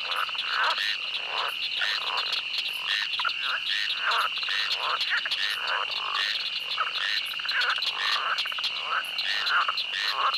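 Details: Pond frogs croak in a dense chorus of overlapping pulses in a pond or swamp setting, over a steady high cricket trill.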